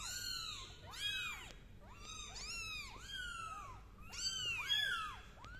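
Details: Kittens crawling on a carpet indoors and meowing: several high, thin, arched mews overlap, repeated rapidly with roughly one or two cries each second.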